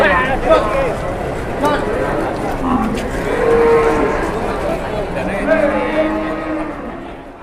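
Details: Cow on an Indonesian cattle farm that suddenly collapsed and then turned aggressive; drawn-out low moos with rich steady harmonics, one louder sustained bellow near the middle, a softer falling moo toward the end, faint human voices behind.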